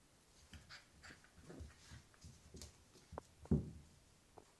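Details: Lily, a Jack Russell Terrier puppy, growling while playing indoors: low grumbling bursts in short pulses, rising to a louder snarl near the end, with light scuffling.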